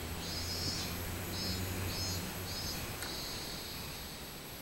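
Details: Minmin cicada recorded 24 July 2016, its high buzzy song pulsing in regular beats about twice a second, each throb a short shrill burst, then merging into a longer sustained whine, over low rumbling hum.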